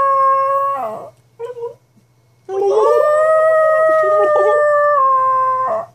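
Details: Pet dog Atlas howls in response to its owner's silly noises. A sustained, steady howl fades off, followed by a brief wavering sound and a pause, then a second long, even howl with slight pitch wobbles that trails away at the end.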